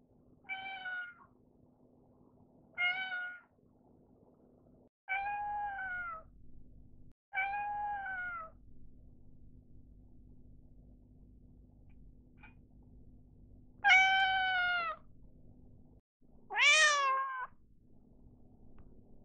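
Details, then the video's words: Female short-legged Munchkin-type cats meow in clear, tonal calls varying in pitch: a white Munchkin born 2014 meows for attention behind her working owner, a Genetta (Munchkin × Bengal) born 2020 meows nonstop for the owner's snack. "こんなに違う！マンチカンの鳴き方 The Munchkin cats meowing differently."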